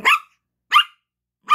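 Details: Yorkshire Terrier puppy Gracie, at play and wanting her toy, gives three brisk high-pitched yaps spaced roughly three quarters of a second apart, clean with no other sounds.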